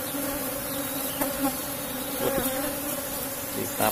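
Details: Steady, unbroken buzz from an Asian honey bee colony in a box hive during honey harvesting, a low drone with a higher overtone and only faint clicks and voice in the background.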